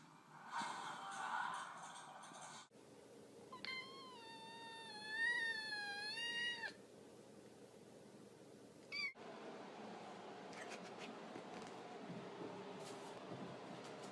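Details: Domestic cat giving one drawn-out, wavering meow of about three seconds, its pitch rising and falling in a gentle wobble. Rustling noise comes before it, and faint clicks and background hum follow.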